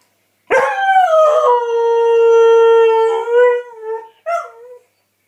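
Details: A Northern Inuit dog howls: one long, smooth, harmonic-rich howl that slides down from a higher onset to a steady held tone for about three seconds, then fades. A short, wavering second howl follows, in otherwise quiet surroundings.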